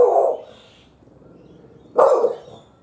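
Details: Sammy, a pet dog, barks at some birds on a fence: two sharp, mid-pitched barks about two seconds apart, with a quiet pause between them.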